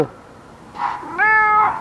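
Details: Nearly nine-year-old ginger rescue tomcat meows once: a soft murmur, then a clear meow that rises at the start and holds level for about half a second, with a person's voice just around it.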